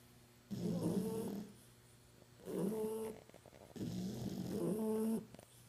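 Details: Sleeping puppies snoring: three long, rough, nasal breaths about every two seconds, each a buzzy drone with a faint whistling tone, separated by quiet pauses.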